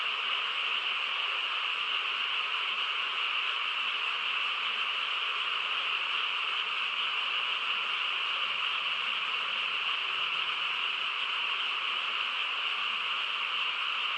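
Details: On a quiet rural night, many frogs call together in a thick, steady chorus, a seamless high-pitched hum without pauses or distinct separate calls.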